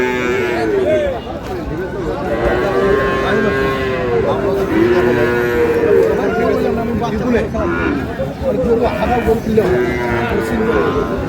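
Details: At Ambari market in Dinajpur, Bangladesh, Sahiwal bull calves are traded on 11 May. Long, wavering lows overlap almost without a break, several calves calling at once, with crowd chatter underneath.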